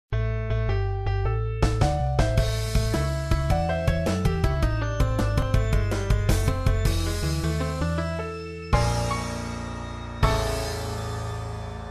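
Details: Electronic piano-style music plays throughout, with bright repeated chords, a steady bass line and short pauses near the end; no animal voice can be heard.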